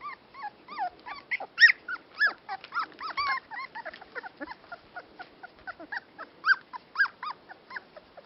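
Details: Dandie Dinmont Terriers give a busy stream of shrill, squeaky whimpers and yips, curving up and down in pitch and tumbling over one another without pause.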